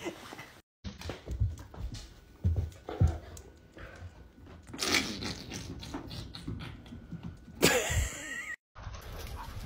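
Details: Pet dog indoors in a small room, giving soft whimpers and breathy panting-like bursts over several abruptly spliced segments, with a faint steady tone underneath and brief silent gaps between cuts.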